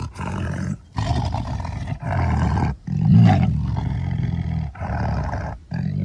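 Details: A tiger gives a series of about six throaty roars, each roughly a second long, with the loudest and fullest one in the middle.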